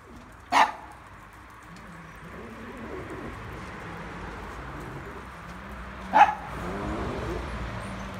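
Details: Miniature pinschers, a group of females led by the cheekiest, Quinta, with the others following her under difficult conditions: two sharp, short barks about five and a half seconds apart over a low, steady rumble.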